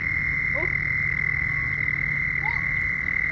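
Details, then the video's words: A mating frog chorus keeps up a constant piercing high whine, with only two brief rising chirps standing out against the drone and a low rumbling background beneath. "frogs mating"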